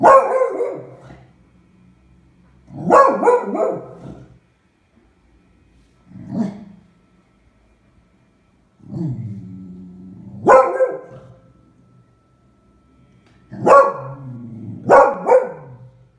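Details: Frightened female Beagle reacting to a pram as if it were a fearsome beast, February 20, 2016; loud hoarse barks spaced a few seconds apart, mixed with low growling and whining, the last two barks coming in quick succession.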